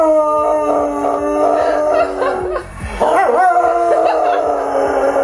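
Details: Spock, a pet dog, howls along with a person over music: long sustained wavering howls that hold steady, dip briefly mid-clip, then rise again, with human howling mixed in.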